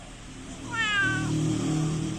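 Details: Orange domestic cat with a single drawn-out meow that rises and then falls, richly harmonic, over a low steady hum in the background.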